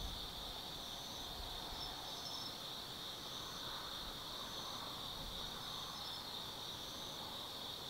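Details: Night chorus of autumn insects at Tsukimi no Mori in Kaizu, Gifu, Japan, from a lookout 180 m above the Nobi Plain; continuous shrill ringing trills layered together, with a gentle low hum underneath throughout.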